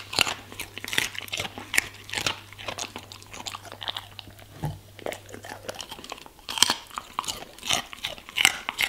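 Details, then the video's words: German Shepherd crunching vegetables and fruits, with bright, snappy bites coming in quick bursts, a low hum that fades out midway, and loud crisp chomps near the end. "German Shepherd Eating Food ASMR - Vegetables & Fruits"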